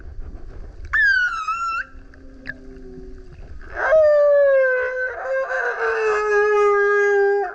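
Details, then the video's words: A singing male humpback surfaces by a kayak: a short high wavering whine, soft low murmurs, then a long loud descending harmonic howl lasting nearly four seconds with roughened, grunt-like texture. "Singing Whale is LOUD - BURPS, GRUNTS, HOWLS + ROARS! Listen as he comes up singing next to kayak"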